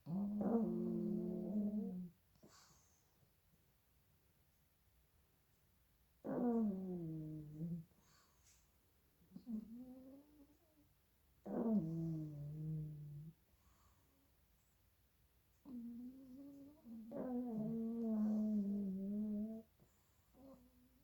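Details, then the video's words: Loud snoring from two sleeping pug puppies: raspy, buzzy breaths lasting one to four seconds, some starting high and sliding down, repeating irregularly every few seconds with near-silent pauses between. "two little pug puppies sleeping and snoring very loudly!"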